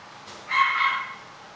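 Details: Puppy at a pet shop gives one short, high, thin yip with a clear harmonic stack, lasting about half a second against a quiet hiss.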